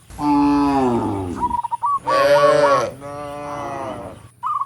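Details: Tame cattle in a large herd heading up a rural road to the barn, calling to other cattle with drawn-out, low, droning moos that bend in pitch, one after another, with brief high chirps between them.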